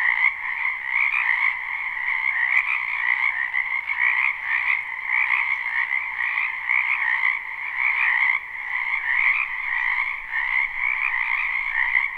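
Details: Live spring recording of frogs in a wetland behind a house, unlooped: an unbroken wall of overlapping trilled croaks with gentle rises and dips in loudness, no voices or other noise.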